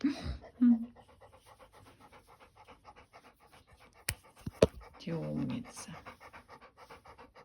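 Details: Panting Labrador Retriever, Kasya, at a grooming session in a small room: fast steady breaths several times a second throughout, a woman's voice briefly at the start and again midway, and two sharp clicks.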